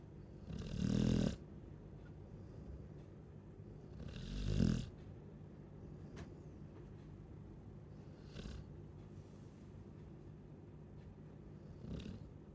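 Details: Sleeping Chow Chow gives two loud, rasping snores about three seconds apart, followed by fainter, softer breaths at longer gaps in a quiet room.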